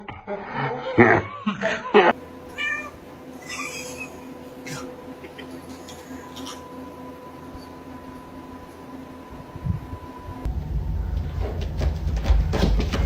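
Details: Domestic cat from a compilation of funny cats and kittens, giving a few short harmonic meows in the first two seconds, followed by a long steady electrical hum and low rumbling background noise.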